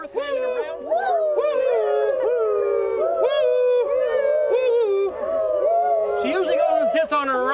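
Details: Molly, a zoo gibbon in Moncton, New Brunswick, sings her loud territorial song of sliding, whooping notes that rise and fall, after encouragement to vocalize.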